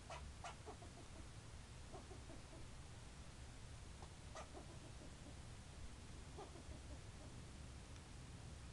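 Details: Barking squirrel giving scattered short, clipped chucks in small groups a few seconds apart, each starting sharply and fading fast, fairly faint against constant low-pitched rumbling noise.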